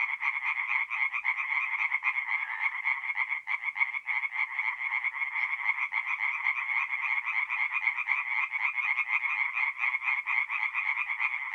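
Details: Tree frogs calling together at night from a forest pond in north-east Italy during mid-April, a thick unbroken wall of quick rasping croaks from many overlapping frogs, steady in loudness throughout.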